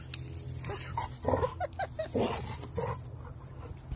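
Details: Three dogs playing hard: Covi the German Shepherd Husky, Peaches the Wolamute and Mango the Great Pyrenees mix. Gruff, breathy bursts and grumbles come in quick irregular clusters, with low rumbling noise underneath.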